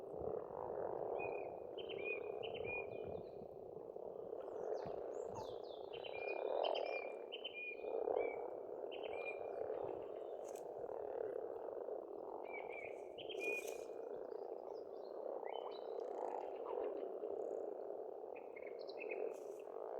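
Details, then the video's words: Massed frogs croak continuously at a pond in Estonia in spring, a rolling low chorus with surges of volume. Songbirds give scattered whistled phrases and chirps overhead. "Расслабляющее пение птиц и лягушек"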